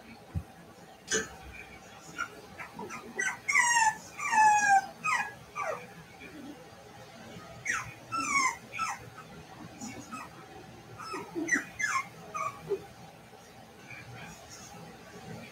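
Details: Cavalier King Charles Spaniel puppies at play inside a house give high, falling whimpers and short squeaky yips in small clusters, with quiet background noise between bursts.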